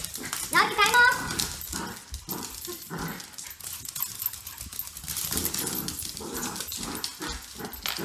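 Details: Cockapoo and shih tzu playing together indoors, trading short growls and yappy snarls in irregular bursts amid scuffling, with a person talking over the play.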